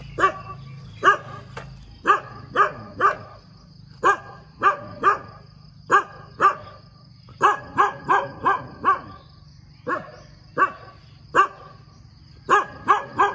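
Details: Early-morning dog barking, about twenty-five sharp barks over thirteen seconds, mostly in quick clusters of two to four with short gaps, against a constant low hum and faint high tone.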